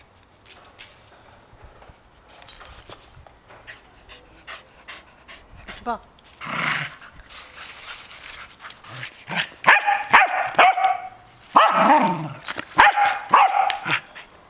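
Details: Kaley, a pet corgi, plays frisbee and ball outdoors while a person urges her to get the ball; short harmonic barks and whiny yelps cluster in the second half, mixed with human speech.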